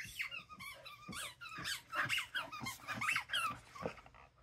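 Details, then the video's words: A pet doodle dog indoors in a small room, giving squeaky, high whining yelps with rising and falling pitch, several in quick succession over a few seconds. "Have you ever heard Dosa BARK before?"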